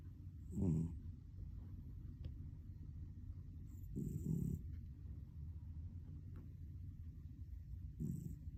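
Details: Sleeping cat snoring: three low rumbling breaths, about every three to four seconds, each under a second long, over a steady low background hum.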